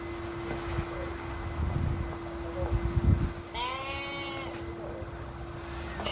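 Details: One trembling bleat, about a second long, from sheep at a petting farm making a somewhat strange sound as a Basenji dog visits. Low rumbling noise and a steady hum are heard before it.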